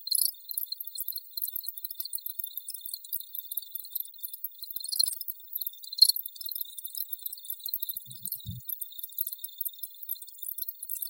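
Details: Crickets in a dense chorus of high, rapid, pulsing chirps with a steady band near the top of the range and brighter bursts every few seconds; a brief low thump near the end.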